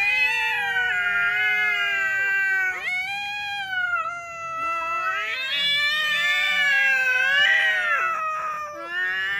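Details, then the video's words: Cat in a compilation of meowing cats and kittens, giving a continuous, wavering, high caterwaul with many harmonics, pitch sliding up and down and brief dips between phrases, filling the whole stretch. "Funny Cats and Kittens Meowing Compilation 2021.Sounds cats."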